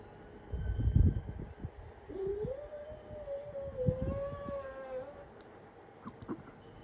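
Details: A Cocker Spaniel howls in answer to an emergency vehicle's siren, a long, wavering howl that rises and then holds steady. The dog's mother used to behave the same way.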